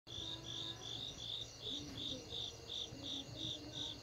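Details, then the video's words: Crickets on a summer night in Asia, a high, pulsing trill in rapid chirps about three per second, with soft lower tones in the background. "Crickets Summer Night"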